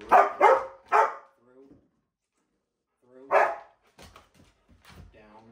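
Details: A Miniature Australian Shepherd during leash-walk training barks three quick, sharp times, then once more after a pause, followed by faint rustling and quiet sounds.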